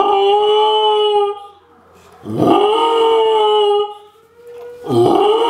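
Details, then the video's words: Almost 11-month-old female Samoyed howling in response to the monthly national civil defense siren test: drawn-out, wavering tonal howls with rich harmonics, three separate bouts with short pauses, a faint steady siren tone between them. "Semmy the Howling Samoyed/Samojeed"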